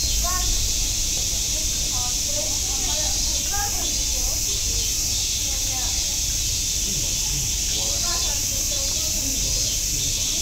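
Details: A steady, shrill cicada drone fills the air at Nogeyama Zoo, Japan, while people talk nearby.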